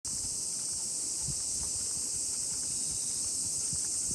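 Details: Many cicadas sing together as a steady, high, hissing drone that never breaks, heard during a walk with a miniature pinscher; soft footsteps and scuffs tick underneath.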